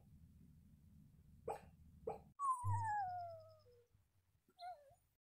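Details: Pomeranian named Chuck: two quick soft barks over a low hum, then a clear high whine that slides steadily downward for over a second, and a final short high yelp.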